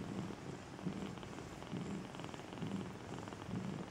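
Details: A Maine Coon purrs at a Russian cattery in Saint Petersburg, a deep throaty rumble rising and falling about once a second with each breath.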